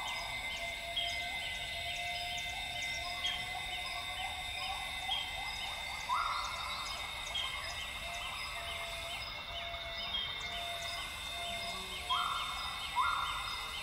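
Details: Northern grey gibbons (Hylobates funereus) sing at dawn in lowland rainforest at Tawau Hills Park, Sabah, northern Borneo: short rising whooping notes over a dense, steady rainforest insect chorus.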